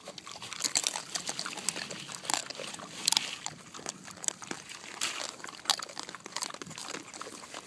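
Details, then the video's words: Several Kunekune pigs on a farm cracking pecans together: dense, irregular sharp crunches and cracking snaps, several per second, with crisp high clicks from shells breaking and no clear vocal calls. "Kunekune Pig Commune Breaking Pecans Together"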